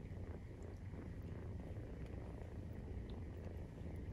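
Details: A Maine Coon's nursing-time purr, kittens 43 days old, heard as a constant deep buzzing rumble with a grainy pulse and little else audible.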